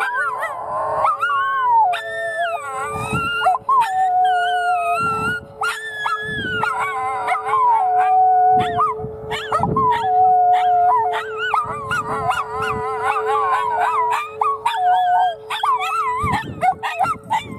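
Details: Bella and Lilly, a pair of Miniature Schnauzers, protest the weekly noon storm siren test in Oklahoma City with long quavering howls that swoop up and down, mixed with yips, over the siren's constant hum.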